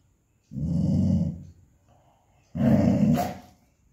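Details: Pet dog in a Telugu-speaking home giving two low, rough, growling bursts, each about one second long and about two seconds apart, with quiet room between them.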